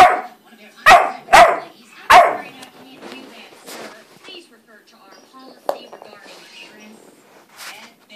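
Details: Playful yet fussy German Shorthaired Pointer x Boxer puppy barks three times in quick succession, loud and harsh, then goes quiet apart from faint rustling and small noises.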